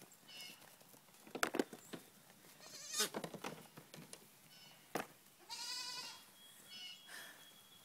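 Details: Three-week-old goat kids bleating: scattered short nasal cries, then a clear, loud, drawn-out harmonic bleat lasting under a second, with faint handling noises around it.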